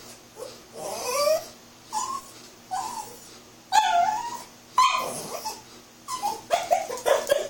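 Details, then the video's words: Silly puppy sounds during ball play: a string of nasal whimpers and squeaky yips, each about half a second long, roughly one per second, ending in quick squeaky notes. "Puppy makes silly sounds"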